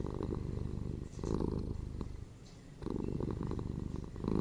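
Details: Purring from household cats, one ginger male and one female, indoors; low vibrating rumble in rhythmic swells, loud phases of about a second broken by a quieter gap, close and steady.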